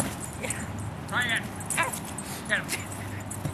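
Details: Sixteen-month-old pet dog Buttons at play with his 15-year-old boy gives three short, downward-bending whining yips spaced under a second apart, mixed with a person talking and a steady low hum.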